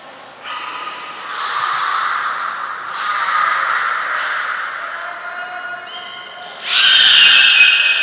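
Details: Belugas Gray, Nana and Mirai in training at Port of Nagoya Public Aquarium, 6 August 2023: drawn-out harmonic moans and squeaks, a high steady tone midway, ending in a loud rising, bright burst of stacked tones.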